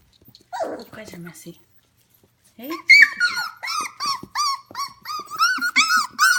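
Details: F1 Goldendoodle puppies, 25 days old, indoors at home at 11 pm: after a stretch of human talk, a run of high, arching squeals and whines repeats rapidly, rising and falling in pitch.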